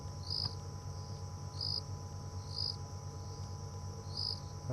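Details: Crickets chirp around a safari vehicle on a 29 September evening drive after sundown, still hot with hardly a breath of wind: short, high chirps about every second over a steady insect hiss and low rumble.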